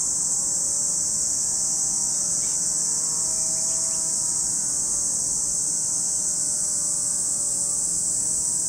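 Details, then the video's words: A dense wall of high, even cicada buzzing rings over Lake Kamo, Sado City, Niigata Prefecture, Japan, with a low steady hum and a couple of short chirps mid-clip. "Lake Kamo in Sado City, Niigata Prefecture, Japan, where you can hear the voice of cicadas."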